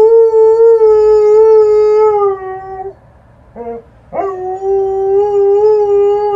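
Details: Liza the Alaskan Malamute howling as an ambulance passes close: a long, even, rich-toned howl of nearly three seconds, a brief broken wavering note, then another sustained howl that bends slightly in pitch.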